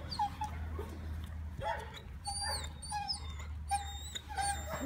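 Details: A three-month-old male German Shepherd Dog puppy gives short high whimpers and squeaky yips, some rising and falling, in bursts over a steady low hum, with faint human voices nearby.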